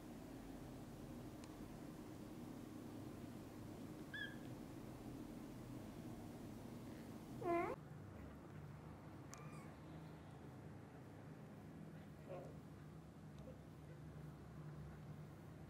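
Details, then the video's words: Kittens waking up and asking the mother cat to play outside: a few faint, scattered high mews and one louder, sharply rising mew midway, over low background hum. "Kittens asks Mom cat to play outside as soon as they wake up."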